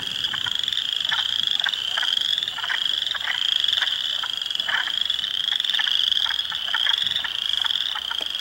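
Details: Hundreds of spring frogs in a swamp at Heartland Forest, Ontario, on 2 April 2022, including Spring Peepers, Wood Frogs and likely Eastern Chorus Frogs, fill the air with high, shrill trilling and quick clicking notes.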